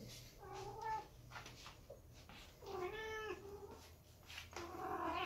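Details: A big silver British Shorthair cat, one of a family of cats, gives several drawn-out, wavering meows with rich harmonics.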